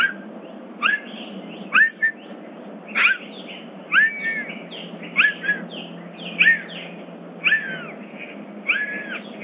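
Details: Captive bobcat at a rescue sanctuary, calling at dawn in summer: a series of short, arched, chirp-like mewing calls, each bending up then down, repeated roughly once a second over a faint steady background hum.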